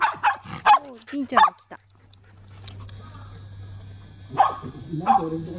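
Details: Toy Poodle puppies playing in a dog run, giving several sharp, high yips in quick succession, then a quiet stretch with a low hum before two more short yips.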